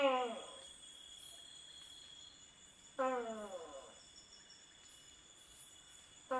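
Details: A Tokay gecko gives loud, croaking 'to-kay' calls at night in a Thai rainforest, repeated every few seconds over steady insect trilling.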